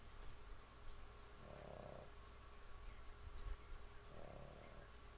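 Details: Sammy, a pet dog, sleeping and snoring: two soft, breathy rasping snores about two and a half seconds apart over a steady low hum in a quiet room.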